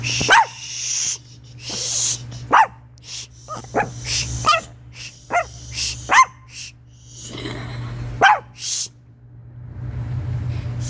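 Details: Chihuahua producing weird sounds: a series of about eight short, sharp yelping yips at irregular intervals of one to two seconds, mixed with softer breathy snorts and hisses, over a constant low electrical hum.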